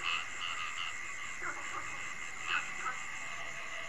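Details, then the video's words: Night sounds of the Mekong Delta, Vietnam: a dense chorus of frogs with steady, buzzy trilling and a few sharper croaks, crickets humming, alongside watercocks, coucals and night herons calling. "Tiếng cúm núm, bìm bịp, ếch nhái,dế, vạc gọi bầy"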